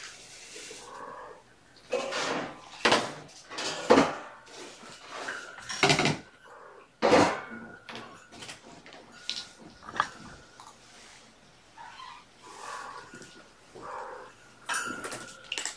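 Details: Mother cat Gamora's five kittens, born April 14th, at afternoon play time indoors: thin, high, drawn-out mews, one held for about three seconds, rise over loud clattering, rustling and knocking from play, with occasional human speech.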